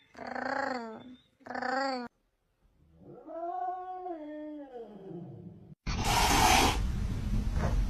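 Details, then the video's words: House cat uttering two quick harmonic meows, then a long, slowly rising and falling drawn-out wail, before loud broadband noise takes over at the end. "These Cats Speak English Better Than Hooman!"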